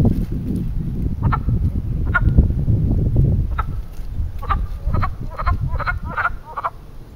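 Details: Frogs calling to mate at a small man-made pond in Western Pennsylvania during spring; sparse croaks early, then a quicker run of repeated croaks toward the end, over low-pitched background rumble.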